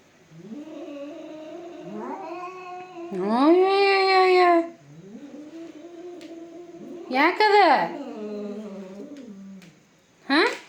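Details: Two domestic cats fighting: drawn-out wailing yowls that rise and fall in pitch, swelling into louder, higher cries around four and seven seconds, with a sharp final yowl; a person scolds nearby.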